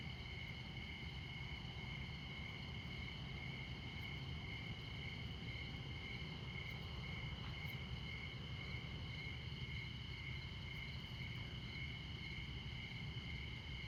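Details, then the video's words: Montana crickets calling at midnight close to Interstate 94: a constant, high, ringing trill with no pauses, set against a low, steady rumble of highway traffic and a few faint ticks. "Midnight Montana Crickets"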